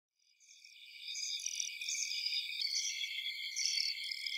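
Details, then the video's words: Insects in a forest at night: a dense, high-pitched chorus of overlapping trills and chirps that fades in over the first second, then holds steady with pulsing bursts layered over a continuous shimmering hiss. No low sounds are present. "Night Sounds in Forest | Insect and Bug Sounds"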